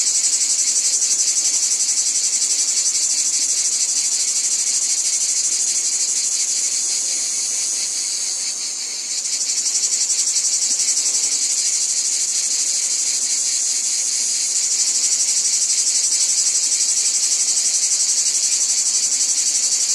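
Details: Cicadas in a wheat field fill the air with a steady, high-pitched, shimmering buzz that pulses rapidly without pause.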